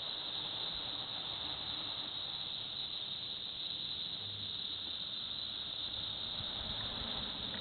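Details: Villa Park, Illinois: cicadas keep up an even, sizzling high whine throughout, with light low-pitched background noise.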